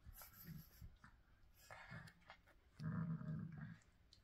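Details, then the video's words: Pet pug snorting and panting indoors: rough, low breathy snorts in bursts, a loud sustained snuffling stretch near the end, with faint rustling and handling noises. "Funny Pug"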